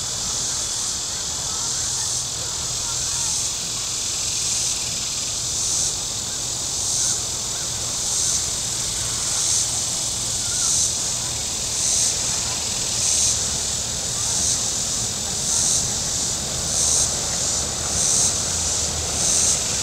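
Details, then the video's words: Cicada chorus beside Table Rock Lake in southern Missouri on a hot Saturday: sharp, regular pulses of high hissing buzz about every 1.2 seconds, with a faint low rumble of boats. "Boating Lake Sounds and Cicadas"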